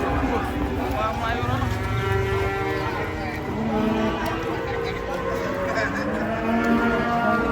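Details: Cattle being unloaded from a truck low continuously, with several overlapping droning moos layered together over a steady noisy background for the whole stretch.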